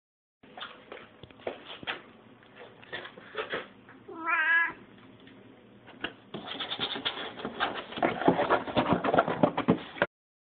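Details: Male Lynx Point Siamese cat, neutered, six years old, from Scottsdale, Arizona, giving a single rising-falling harmonic meow near the middle, set among clattering and rustling household noise that grows busier toward the end.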